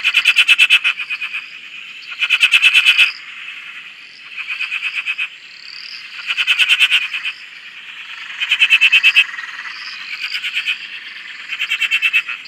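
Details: Frog chorus from a dam in Australia: loud bursts of rapid pulsed croaking recur every couple of seconds over a steady trill, with rising chirps from other callers between.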